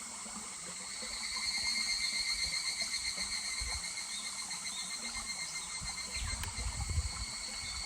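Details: In July by a babbling stream, higurashi cicadas sing a rapid, metallic pulsing chorus. It builds after the first second and slowly ebbs, with flowing water beneath and a few low knocks near the end.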